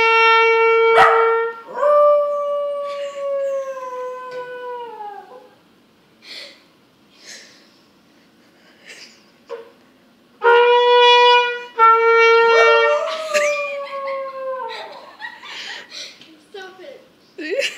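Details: Diablo, a pet dog learning to howl, gives two long trumpet-like howls, each starting high and sliding slowly downward with rich harmonics, separated by short yips and quieter whines; a person says stop it.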